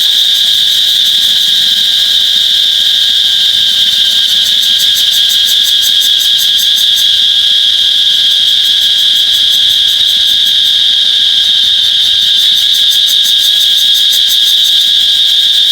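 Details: Cicada recorded with an iPhone 8: a loud, unbroken high-pitched electric buzz holds steady throughout, overlaid from about five seconds on by a rapid, even pulsing shimmer in the upper range; no other sounds stand out.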